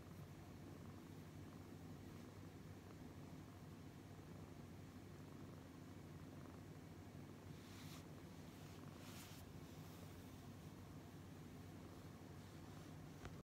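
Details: Brown tabby cat petted and purring, a constant deep rumbling pulse through the whole stretch, interrupted late by a pair of brief rustling sounds from handling.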